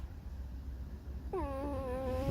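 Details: Irritated fox squeaking out its 'sad song'. After a second of quiet comes a sudden drawn-out nasal whine, rich in overtones and held at a nearly steady, slightly wavering pitch to the end.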